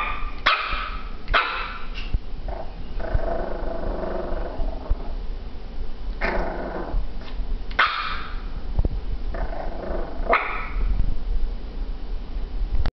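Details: Frustrated dog growling and barking at a ball she cannot grab with her teeth; several sharp barks alternate with long rasping growls throughout, against constant low rumbling background noise.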